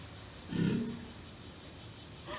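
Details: Loud snore from the sleeping walrus Tanpopo at Ise Sea Paradise: one deep, gravelly burst lasting under half a second, then quiet hiss and a faint later breath.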